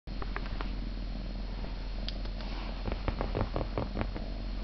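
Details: A cat named Theo purring on 26 November, a steady low rumbling drone running throughout, with scattered soft clicks and rustles on top.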